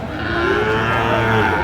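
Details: Sahiwal bulls for sale at Aftabganj cattle market, Dinajpur district, Bangladesh, on 4 March 2025, a market held on Saturdays and Tuesdays; a single low, drawn-out moo lasting about a second and a half, steady in pitch, over faint background murmur.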